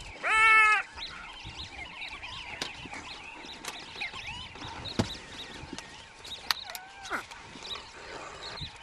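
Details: A brown hyena gives a loud, harmonic squealing yelp during a continuing fight near a waterhole, then fainter whines follow.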